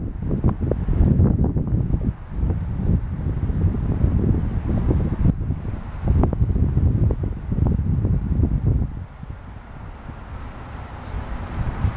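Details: Gusty wind buffets the microphone with low rumbling noise, and no animal calls can be heard. The roar eases near the end, leaving a softer hiss.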